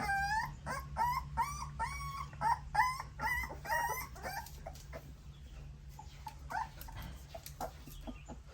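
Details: Nursing puppies at their mother's milk: fast series of high wavering whines and yelps, about three per second at first, tapering into softer scattered squeaks over a low hum.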